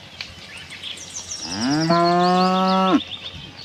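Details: Friendly cow from a tame herd wandering a cattle farm looking for grass gives one loud, level moo of about a second and a half that swells then cuts off, faint birds twittering behind.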